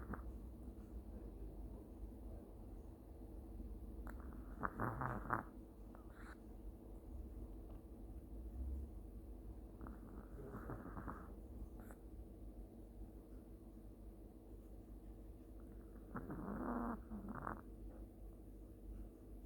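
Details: Sleeping long-haired Chihuahua giving mild, gentle snores: soft rattling, pulsed bursts recurring about every five to six seconds, separated by quiet breathing in a small indoor room.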